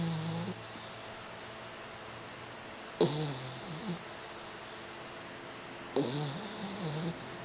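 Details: Boeing, a 4-month-old French Bulldog puppy, napping in a lap in La Jolla, snores quietly indoors: low, harmonic snores with a wavering pitch come roughly every three seconds, each opening with a short, sharp intake over a faint steady hum.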